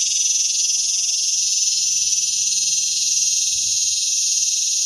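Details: Male cicada calling for a mate during mating season in Palm Desert, California: a loud, continuous metallic buzzing screech, steady and incessant throughout, with faint low rumbling beneath.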